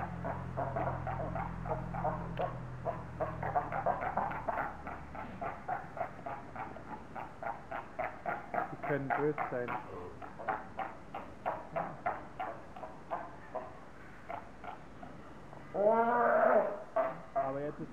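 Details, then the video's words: Quarrelling seals at Zoo Augsburg, Germany, bellowing at each other: long rhythmic train of short, grunting barks, several per second, ending in a loud, drawn-out roar that bends in pitch. "Robben beim gegenseitigen anbrüllen."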